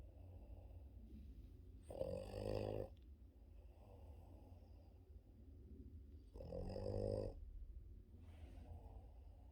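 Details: Boston Terrier, a pet dog, snoring loudly during morning sleep indoors; two long rasping, rumbling snore bursts about four seconds apart, with soft breathing and low room hum between them.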